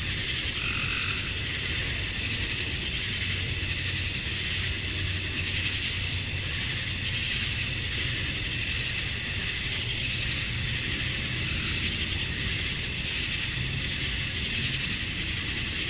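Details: Summer-dusk cicada chorus from Georgia, USA, made by males calling to attract females: a continuous, shrill buzzing wash with a thin whistle-like band on top and a soft low hum below, never pausing.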